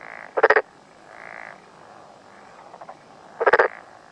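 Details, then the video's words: Black-spotted pond frog calling in mountains of Tokuji, Yamaguchi, Japan, on a June morning, filmed from close in front; two loud rapid pulsed croaks about three seconds apart, with softer humming calls of other frogs between. "鳴くトノサマガエル Pelophylax nigromaculatus"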